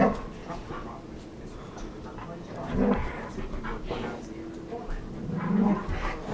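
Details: Red standard poodles, three related female housemates, romping together at play; short gruff barks and growly yips come in scattered bursts, mixed with panting, scuffling and human talk in the background.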